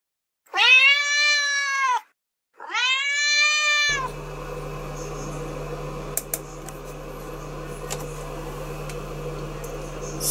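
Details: Male house cat Daizu, lounging in a toilet's water basin, is startled when the flush lever is pulled. He gives two long, drawn-out, harmonic meows, each over a second, separated by a short pause. A steady low indoor hum follows.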